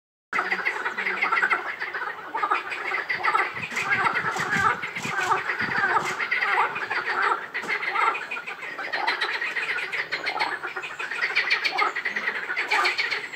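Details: Frog chorus at Rainham Marshes: a dense, continuous wall of overlapping croaking and rattling calls, with some sharper bursts mixed in, possibly other marsh sounds, holding steady throughout.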